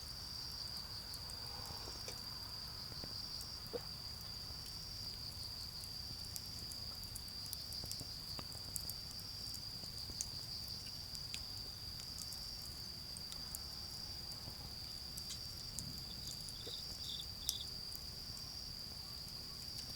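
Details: Autumn insects calling in a garden beside a crackling bonfire: a steady high, thin trill runs unbroken throughout, with sharp pops of burning wood scattered across the clip and a low rumble of distant cars underneath.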